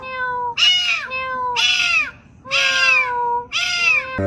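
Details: Domestic cat meowing insistently indoors: four drawn-out, slightly nasal meows, each bending downward in pitch, repeated about once a second with short pauses between.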